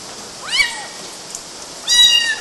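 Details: Young kittens climbing mosquito nets in Galati, Romania, June 2012: two clear, high-pitched meows about a second and a half apart. The first sweeps up then down, and the second is longer and steadier.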